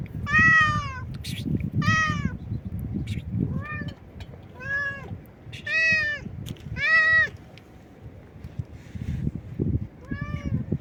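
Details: Stray cat meowing loudly and nonstop: a series of about nine arched, harmonic meows roughly every second or so, some louder and rising then falling, over a low rumbling background.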